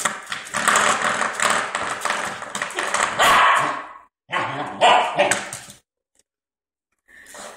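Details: Puppy 11.5 weeks old playing with a door stopper, giving rough, harsh barks and growly yaps in dense bursts, with a brief pause and quiet near the end.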